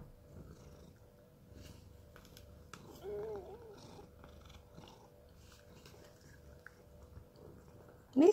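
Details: Rescued domestic cat indoors at home in Cooktown, Queensland, Australia, eating tuna paste: soft low purring throughout, a short wavering meow midway, then a louder rising cry at the very end, with quiet human speech nearby.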